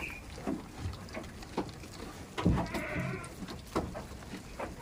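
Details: Farm goat in a village, a short, rough bleat rising out of the middle amid thumps, rustling and steady low background rumble.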